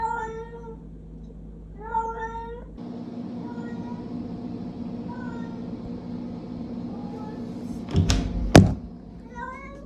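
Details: A pet cat indoors in Korea, following its owner and not letting her go to the toilet, gives short, clear, slightly falling meows, several in the opening seconds and more near the end, with a woman talking and a few thumps.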